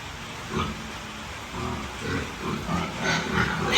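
Hungry piglets squeal and grunt in quick, overlapping bursts.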